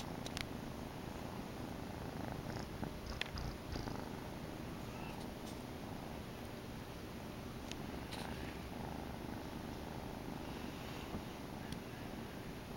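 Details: Trink, a grey Domestic Shorthair kitten, male, purring steadily as a low continuous rumble throughout, with a few faint clicks and small handling noises on top.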